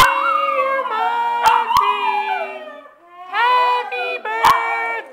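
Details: Pet dog howling along to Happy Birthday: long wavering tonal howls with rich harmonics, a sustained rising and falling howl, a short pause, then a second howl, with sharp clicks and faint voices behind.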